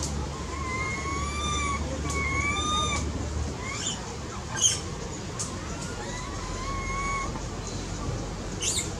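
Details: A baby monkey cries for its mother's attention with long, level whistled wails, several in a row, then short sharp squeaks and a brief shriek against constant low engine-like background hum.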